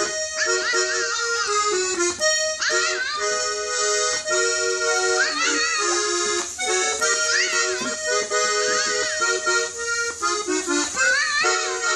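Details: Lively accordion music plays throughout in quick, bouncing phrases with sustained chords, and no animal sound is heard.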